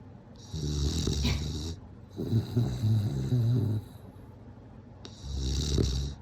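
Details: Sleeping bulldog snoring: low, rumbling, rattling breaths in long bursts of about one to one and a half seconds, separated by quieter pauses, with a hissy airy edge on each breath, in a quiet indoor setting.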